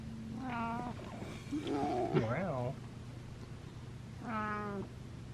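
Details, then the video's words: Butters, a pet cat, meowing after a quiet spell: two drawn-out harmonic meows with a human voice between them, over a steady low electrical hum. "Cat Is Back To Meowing"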